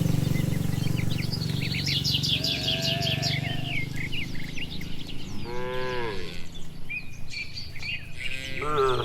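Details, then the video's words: Village cattle herd heading back to the shed on an evening walk; two deep, arching moos answer each other late in the clip over steady bird chirps and twittering and a low background rumble. "Puluhan Sapi Di sore hari Berjalan Pulang Menuju kandang, Suara Sapi Moo"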